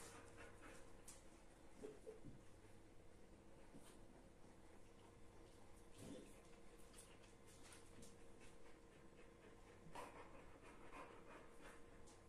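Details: During rough play between an AmStaff and a Kuvasz, short scattered huffs and scuffling snorts break out every second or two over a low steady hum.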